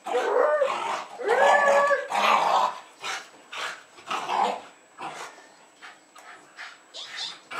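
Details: Jasper and Jaclyn, two Jack Russell Terriers about two and a half years old, barking, jumping and growling in welcome as a woman returns home in Lenexa, Kansas, February 2010; loud drawn-out barks, then a steady series of shorter barks roughly once a second.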